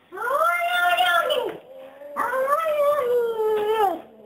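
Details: Jacob, a Persian chinchilla cat, scolds fellow Persian Harvey with two long, tonal, moaning yowls, each arching up and then sliding down, the second sustained for about two seconds, indoors.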